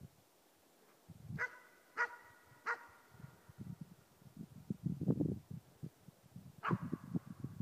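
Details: Young East Siberian Laika, four months old, baying at a moose during a hunt: three ringing barks spaced about half a second apart, a fourth later, with a low, rumbling background of wind or movement between them.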